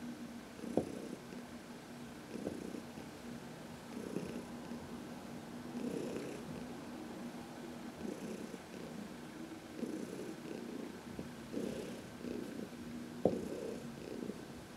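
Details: Heidi, an elderly domestic cat from the Humane Society of New York City, purrs under a massage in the sun on March 19, 2021; even, low continuous purr in gentle pulses, broken by a couple of sharp taps.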